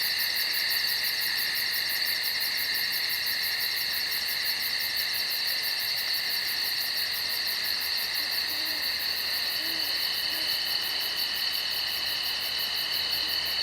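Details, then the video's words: Insects calling at night in the woods: several steady, shrill buzzing tones layered together, topped by a very high, rapid ticking pulse that runs without a break through the whole stretch. "Night Insects in The Woods"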